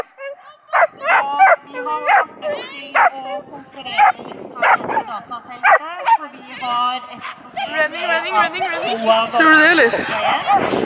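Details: Aira, a Schapendoes competing at the Arendal agility trial in April 2015 and finishing second in A1, gives bursts of rapid high barks that later blend into a noisy wash of voices and crowd sound.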